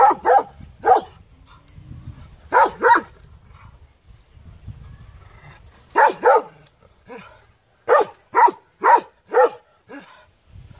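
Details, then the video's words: Dog barking in short sharp bursts, often in pairs, with pauses between volleys; faint low rumble in the background. "Qeni duke Lehur The dog is barking"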